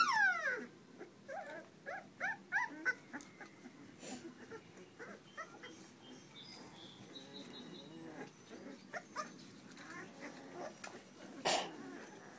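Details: Several puppies crying together, with rapid overlapping high yelps and whines crowded into the first three seconds, then scattered softer squeaks and whimpers over a faint background with a few sharp knocks.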